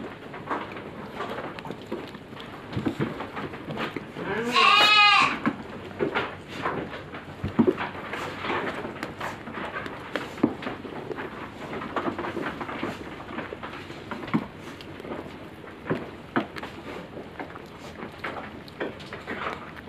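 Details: Farmed goats in a pen, due for harvest in five days, give one loud, wavering bleat with rich harmonics lasting under a second, amid steady shuffling, rustling and knocking noises from the shed.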